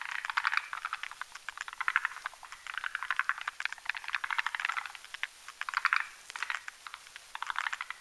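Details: Male and female forest green tree frogs croaking at night while whipping foam for their nest over a mountain pond; continuous rattled pulse series rising and falling in bursts about every second.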